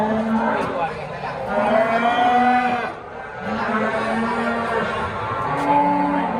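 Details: Simmental and Limousin cattle at an animal market, lowing in long harmonic moos that hold steady or rise slightly, several in a row, over a background of crowd chatter and human voices.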